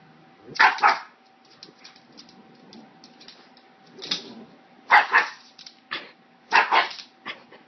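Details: Pet pug, frightened, barking at a hair clip: short sharp barks in uneven bursts, a double bark near the start then single and paired yaps every second or so, quiet room between.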